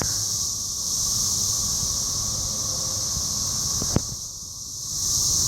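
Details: Cicadas recorded by phone during a Rotary meeting in Cape Girardeau, Missouri, on 4 June 2015: a dense, continuous high hissing drone that holds steady, with one sharp click near the end and a faint low rumble beneath.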